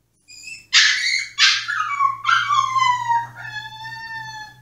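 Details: Yoshi, a Pomsky shut in his cage, throws a tantrum to be let out: a few high whines, then two loud bursts sliding into a long falling howl-like whine that fades slowly.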